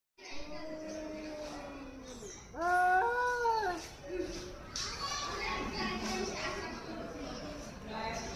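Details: An angry cat in Hyderabad lets out long, moaning yowls that waver and bend in pitch, warning off a rival cat, while children's voices and chatter carry on in the background.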